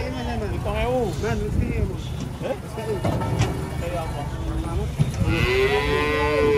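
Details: Cows unloading from a truck give wavering, bending calls mixed with rumbling noise, then a strong, sustained moo rises and holds steady near the end.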